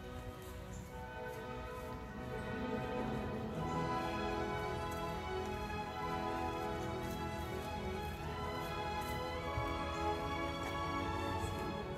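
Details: Orchestral music with sustained strings and layered harmonies plays steadily throughout, with no animal voices.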